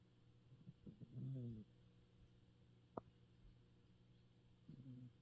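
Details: Sleeping cat snoring while its whiskers twitch. A low, voiced, rumbling snore breath swells for about half a second, then a quiet pause with a single sharp click, and another snore breath begins near the end.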